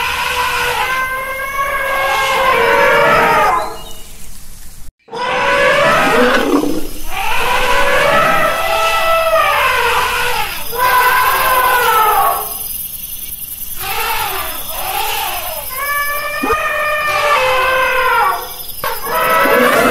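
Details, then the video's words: Elephant trumpeting in a series of loud, harmonic calls that arch up and fall away, each lasting one to three seconds, separated by brief pauses and one abrupt silent gap. "Elephant sound"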